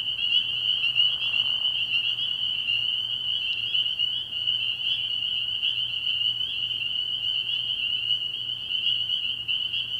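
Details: Night-time frog pond in early spring, full of spring peepers whose shrill, overlapping peeps form a continuous high trill throughout, with a faint lower murmur near the start.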